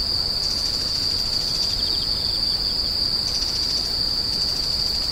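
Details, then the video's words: Insects keep up a shrill, even ringing tone, while a second caller adds rapid stuttering pulse trains, roughly one burst every second or two. "The sound of insects crying"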